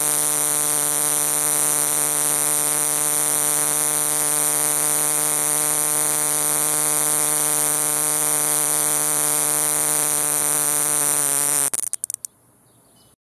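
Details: A cicada in Tucson sings a loud, steady, buzzing drone that cuts off abruptly near the end.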